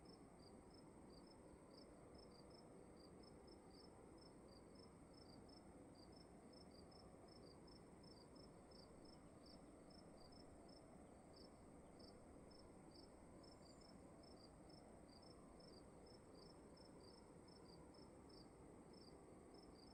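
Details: Crickets chirp in a room at night: rapid, high-pitched pulses, roughly three to four a second, sometimes overlapping as if from two callers, set against continuous quiet hum and hiss.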